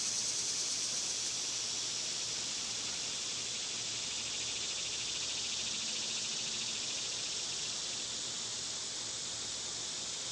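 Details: Summer cicada chorus, loud in season, a continuous high buzzing hiss that eases slightly over the span, with a thin whistle-like tone riding above it during the first two seconds.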